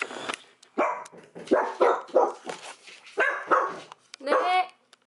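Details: A pet Dachshund, kept indoors alongside a British Shorthair cat, gives a run of short sharp barks and whiny yelps in a small room, with speech also heard.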